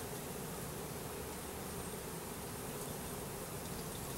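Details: Package of about 10000 Russian/Carniolan hybrid honey bees and one queen going into a new hive, April 2012; continuous thick hum of many wings, steady in loudness across the whole stretch.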